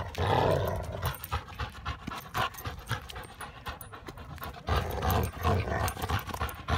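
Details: Two Labrador Retrievers, Hildy (yellow) and Harvey (chocolate), best pals tussling in fun over a tennis ball: low, rough rumbling growls and huffing bursts, loudest at the start and again near the end, with scuffling noise between.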